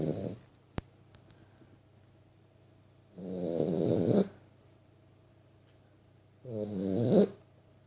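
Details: A 3-month-old Vizsla puppy snores steadily in its sleep, each breath a long, rough, low rasp lasting about a second. Quiet pauses of a couple of seconds separate the snores, with a brief click early on.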